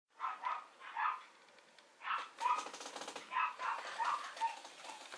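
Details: A female Mame Shiba Inu puppy gives a run of short, high, yelping barks in quick bursts.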